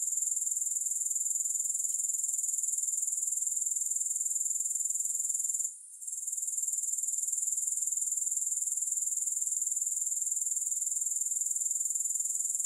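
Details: Steady, piercing insect buzz from a grasshopper, a fast even pulse at a constant level. It breaks off for a moment near six seconds, then resumes, with no other sounds.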